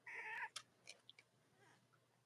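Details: Litter of Cavalier King Charles Spaniel puppies, Robin and Myra's, on a cold autumn Monday morning: one drawn-out, steady, nasal whining cry lasting under half a second, then scattered clicks and rustles over a faint hum.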